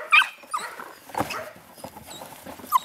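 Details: Eight-week-old puppies, two males and two females, playing together; brief high whimpers and squeaks break out amid soft scuffling, with a sharp squeal near the end.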